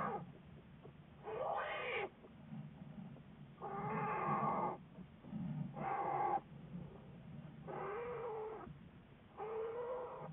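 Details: American black bear studied by Wildlife Research Institute biologists, recorded February 10, 2014; drawn-out wavering moaning cries in about five bursts of roughly a second each, separated by short pauses, over a steady low hum.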